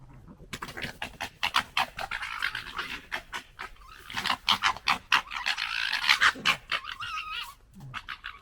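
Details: Red fox (Vulpes vulpes), 2021, gekkers in a rapid stuttering chatter of harsh throaty pulses mixed with whining squeals, while fighting and establishing pecking order.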